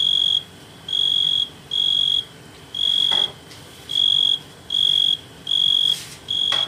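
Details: A tree cricket on a Euphorbia milii plant gives a clear, high, pure-toned buzz in even bursts, each about half a second long.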